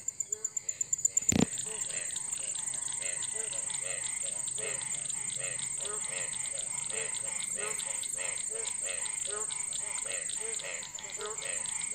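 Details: A dense chorus of Indian frogs in rainwater puddles beside a house, calling in their breeding season after the first rain: rapid overlapping croaks pulse continuously, with an even high-pitched hiss and one sharp knock near the start.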